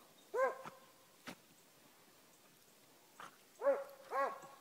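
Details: Beagle/Walker mix working dog trailing and hunting from the road: loud, drawn-out arched bawls with ringing harmonics, one near the start and two close together at the end, with a sharp knock between.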